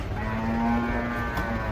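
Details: Cow unloading from a truck at an Indonesian market; one steady, level low moo held for about a second, under a loud continuous engine and vehicle drone.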